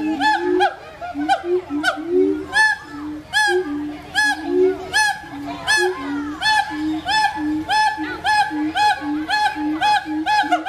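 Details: Siamang gibbon calling: rapid series of loud barking whoops, quickening toward the end, layered with a sustained low droning note and softer overlapping hoots.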